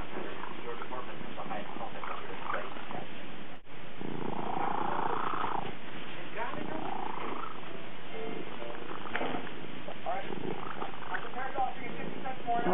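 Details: Cat being groomed and licked clean by a second cat, purring hard: continuous deep rumble under the whole recording, with human speech and a brief drop-out partway through.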